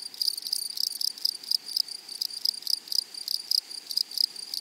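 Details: High, sharp insect chirping from grasshoppers in a flowery prairie meadow, fast pulses repeated about four to five times per second over a continuous thin whine.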